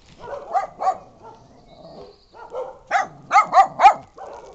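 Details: Brown dog and Bolognese giving softer yips and barks, then a run of four louder, higher barks close together near the end.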